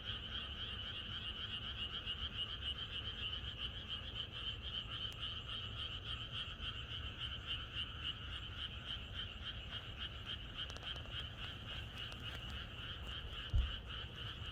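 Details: Countryside frogs chorusing on a night before rain, countless croaks blending into a fast, continuous trill; a brief knock sounds near the end over a low background rumble.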